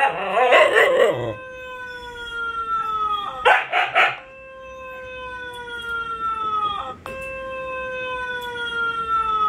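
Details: A Siberian Husky pack, Luna, Gizmo, Arya and puppies, opens with a noisy wobbling chorus, then long smooth sustained howls slowly sink in pitch, broken by a brief yelping burst midway and a fresh howl near the end.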